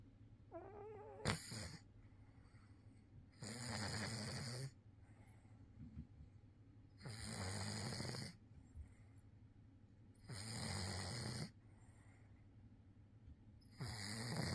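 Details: Maine Coon cat snoring, its snores likened to a middle-aged man's: four long, rasping breathy bursts about a second or more each, coming roughly every three to four seconds, with quiet breathing between in a still indoor setting.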